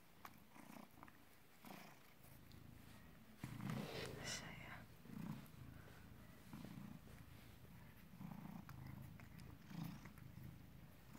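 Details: British Shorthair cat born 18 August 2010, filmed 16 November 2017 at 16:33, purring in a low, steady rumble with rhythmic pulses throughout, while a human voice speaks softly in the background.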